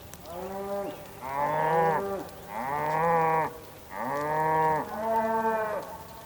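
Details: Bulls on a rainy day in the Patagonian plain, Tierra del Fuego, Argentina: four loud, harmonically rich bellowing moos, each lasting about a second, close together, with light rain behind.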